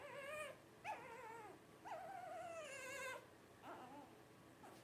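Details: Blenheim Cavalier King Charles Spaniel puppy, 12 days old, one of five littermates, gives long quavering whines that slide downward, one held for over a second, with softer squeaks between.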